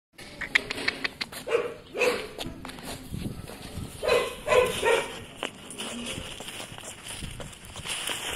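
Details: Golden Retriever puppy, a female called Mrs Orange, gives short, high, tonal yelps or whimpers. About five come in quick bursts over several seconds, amid clattering knocks and steady background hiss.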